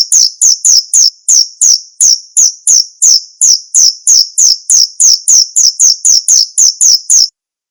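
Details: Male cricket producing a continuous series of about twenty shrill, high chirps at an even pace of roughly three per second, stopping abruptly near the end into silence.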